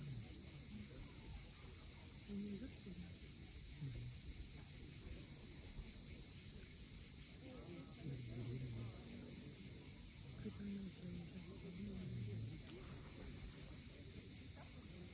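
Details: Cicadas calling at sunset on the steep coast of Cape Fiolent, Crimea: a steady, unbroken high shrill hiss holds throughout, over a low rumble of waves and faint scattered low sounds.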